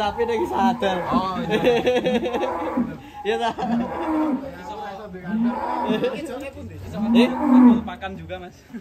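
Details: Giant fat cattle at Setia Farm in Indonesia during truck loading give drawn-out moos that bend up and then fall, several in a row, mixed with loud nearby male voices.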